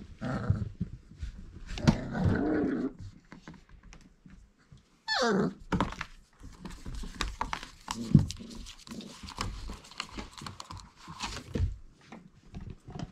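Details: Four-week-old Irish Setter puppies indoors: a brief high, sharply falling yelp-like whine midway, with low grumbling growls and steady thumping, shuffling and rustling from the litter moving about a small room.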